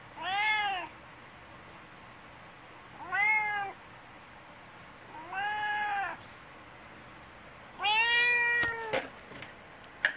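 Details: Choko, a chatty, affectionate brown tabby cat, meowing loudly while seeking attention indoors: four arched, harmonic-rich meows spaced about two to three seconds apart, the last one longer and louder, followed by a few clicks.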